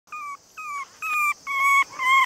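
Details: Male long-haired Chihuahua puppy, 48 days old, cream and white, weighing about 480 g, in Nara, Japan; five high, steady whining cries, each about a quarter second, evenly spaced and growing louder toward the end.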